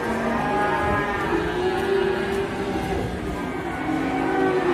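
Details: Big cow suffering from a hurt leg moos in sustained, tonal lowing with rich harmonics, shifting slightly in pitch, while visitors look on and background noise hums underneath.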